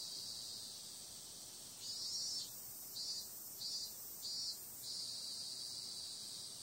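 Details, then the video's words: High, unbroken cicada buzz at night, interrupted midway by four pulsed louder throbs in quick succession before settling back into a smooth drone. "Cicada sound"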